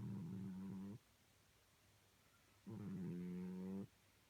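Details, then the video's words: Sleeping cat snoring: two slow, drawn-out droning breaths about a second long each, low and buzzy with a steady hum, separated by a quiet pause of nearly two seconds. "Snoring Cat"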